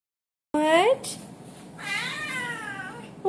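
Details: A male blue Oriental Shorthair cat gives a loud, rising, nasal meow while talking to his cat sitter, whose voice follows asking what he wants, a treat or to go out.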